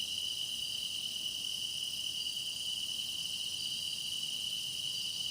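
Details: Grass insects singing in a chorus, recorded for meditation: a dense, unbroken high-pitched shimmer with a steady bright ringing tone beneath a hissing upper layer. No break or change over the few seconds.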